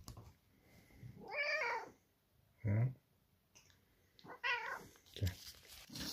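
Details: Domestic cats eager for cat food give short, strained meows indoors: three or four harmonic cries spaced about a second apart, with low thumps and a person speaking briefly nearby.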